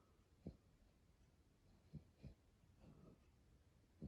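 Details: Sleeping indoors, Brooklyn the chubby dog snores with short, low grunting rasps about every one to one and a half seconds, separated by soft breathy inhales in a quiet room.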